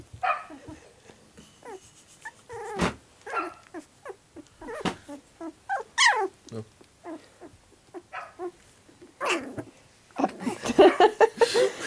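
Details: Young pups starting to move about make scattered squeaky whines and brief yelps between soft knocks and clicks, building to a denser cluster of higher whimpering near the end.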